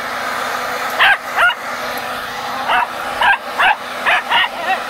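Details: Pet dog that hates machines and attacks a rolling vacuum cleaner, barking at the appliance; short sharp barks come in quick clusters over a steady droning motor hum.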